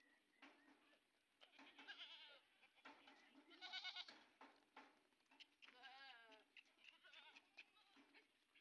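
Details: Several Sojat bucks bleat together in a crowded farm pen in Indave, Sakri taluka, Dhule district. Their cries are wavering and overlapping over a steady hiss, with three stronger calls around the middle and near the end.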